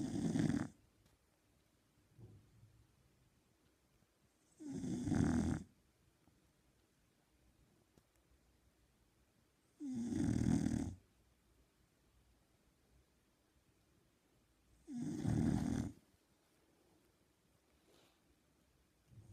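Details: Shar Pei asleep, snoring in a steady rhythm: four harsh, rasping snores spaced about five seconds apart, each around a second long, with faint breaths in the pauses and a quiet indoor background.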